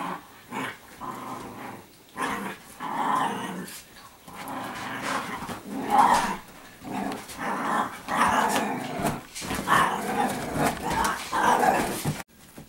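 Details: Play-fighting Italian Greyhound girls wrestle indoors in their normal everyday play, giving rough, rolling growls in repeated bursts about every second or two, mixed with snorts, a short bark and scuffling movement.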